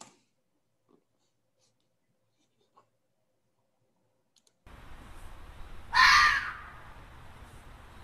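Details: A red fox gives one harsh, screaming call about half a second long, likened to a child screaming, after several seconds of near silence and then a steady faint hiss.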